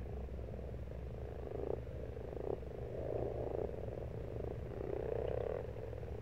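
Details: Pond frogs in March produce drawn-out, rattling croaks that swell and fade in overlapping waves, a dense chorus with low droning hum underneath.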